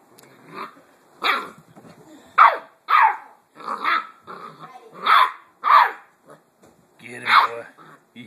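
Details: Blue Great Dane puppy Hagrid, seven weeks old, playing indoors with a new toy pig: a rapid string of short, gruff growling barks, about eight bursts in eight seconds, while a person eggs him on and praises him.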